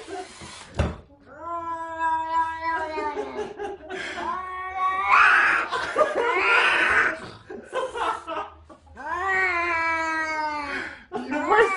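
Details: Domestic cat caterwauling indoors: long, drawn-out harmonic wails, each swelling at the start and then holding steady for a few seconds, separated by short pauses, with some human voices mixed in.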